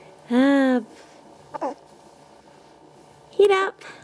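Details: Sheep (lamb) (Ovis aries), bleat.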